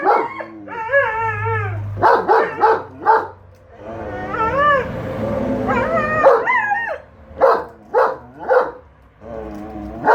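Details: Enzo the German Shepherd and Shira the Siberian Husky, pet dogs, dispute whether the lawn mower is evil, trading long rising-and-falling howls with choppy yelping barks, one sustained wailing howl near the middle.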